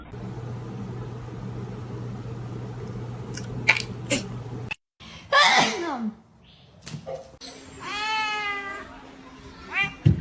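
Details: Domestic cat meowing indoors: a short falling cry, then a long, even, tonal meow lasting over a second, with a few sharp knocks and a hum before it and a person's voice nearby.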